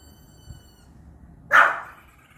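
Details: A Pomeranian indoors reacting to a strange beeping sound from the TV: a steady electronic beep stops, then after a short pause the dog gives a single sharp, high bark.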